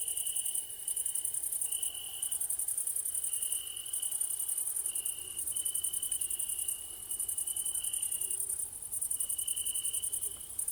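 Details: Evening crickets: a dense high-pitched shimmer goes on without pause, while a lower trill repeats in runs of about a second broken by short silences, over soft low background noise.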